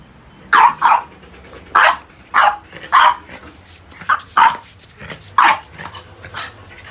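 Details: Playing French Bulldog, stubborn over its rubber toys, barks roughly ten times in seven seconds: short, rough, mid-pitched yaps, often doubled, with brief pauses and a quiet room between.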